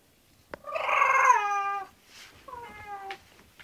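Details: A pet English Bulldog getting ready for sleep gives a loud, rich, slightly falling moan of about one second, followed after a pause by a softer, shorter whine in a quiet indoor room.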